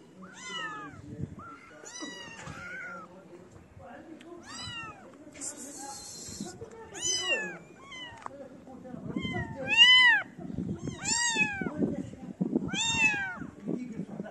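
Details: {'text': 'Feral kittens surrounding a person feeding street cats meow loudly and insistently, arched harmonic cries coming roughly once a second and growing louder toward the end, with rustling and handling noises between.'}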